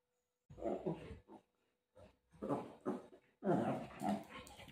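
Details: Golden Retriever play fighting with its mother: three clusters of rough, low growling grunts, each lasting under a second and separated by short silent gaps, the last burst the loudest.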